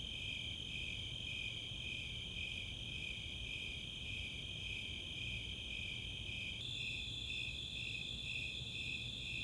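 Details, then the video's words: Snowy Tree Crickets and Four-spotted Tree Crickets calling together on a summer night at Chautauqua open space, Boulder, Colorado; rhythmic high chirps about two per second layered on an unbroken shrill trill that shifts slightly higher partway through. "Nighttime crickets"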